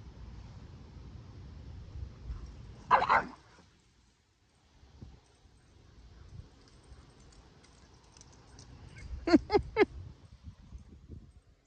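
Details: Two dogs, Kumo the Keeshond and Sully the Boston Terrier, wrestling in play, their favourite hobby; one sharp bark near three seconds, then a quick burst of three or four yipping barks around nine seconds, with low scuffling rumble between.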